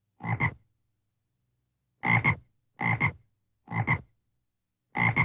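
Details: Five grating frog croaks, each split into two quick pulses, repeated about once a second after an opening pause, against complete quiet.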